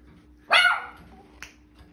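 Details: Miniature Schnauzer, one of a litter of 4-week-old puppies indoors with their mother: a single short, high yappy bark with a brief fainter yip after, hum in the background.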